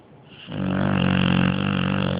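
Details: Dog asleep and snoring very loudly: after a quiet start, one long, buzzing, vibrating snore rises and holds steady for nearly two seconds, droning and rattly.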